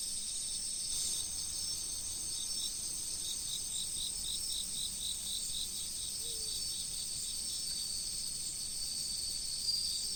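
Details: Autumn insect chorus by a river: a continuous piercing high-pitched ringing with a rapid, evenly pulsed chirping running through most of the stretch, over a steady low wash of flowing water.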